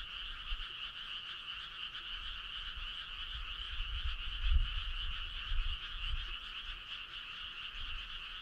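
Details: Many frogs calling together on a summer night by a country road, their massed pulsing trill continuous and even, over soft low-pitched rumble that swells around four and a half seconds.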